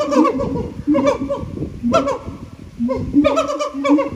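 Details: Siamangs at the Japan Monkey Center sing in very loud, rich hoots, amplified by their throat sacs, that swoop up and down in repeating, overlapping bursts.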